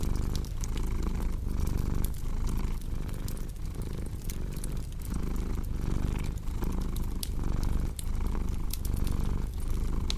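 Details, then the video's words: Steady rumbling purr of a cat rising and falling with each breath, set against a constant crackle of burning logs. "Purring Cat"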